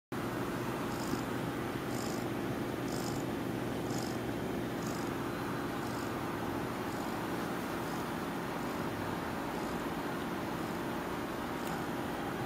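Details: Domestic cat purring in its sleep, a low steady rumbling drone running through the whole recording, with faint soft rhythmic clicks higher up.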